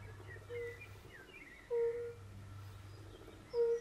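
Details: Three low, soft, pure notes from European fire-bellied toads at a forest pond, spaced about a second apart, over a quiet background with faint distant calls.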